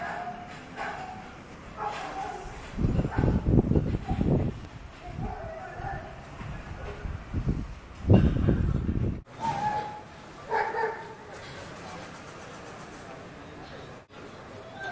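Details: Dog barking wildly: a fast, harsh burst of rough barks in the middle, another short flurry later, with people talking throughout.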